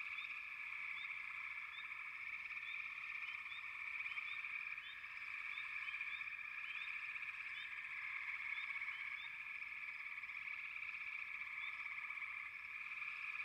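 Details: Many frogs fill the air with a constant trilling drone. Quick, sharp chirps are scattered over it, crowding together in the middle stretch.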